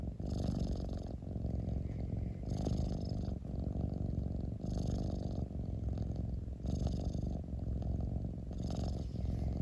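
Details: Close-miked house cat purr, a dense low rumbling drone rising and falling with each breath, roughly five inhale-exhale cycles, each inhale marked by a soft hissy brightening.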